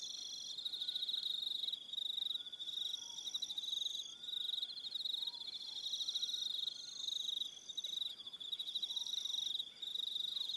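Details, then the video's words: Evening crickets on Aroha Island, New Zealand: a loud, unbroken chorus of high rapid trills in several overlapping layers, with occasional faint lower whistles and short sliding notes in the background. "Relaxing Evening Sound of Crickets"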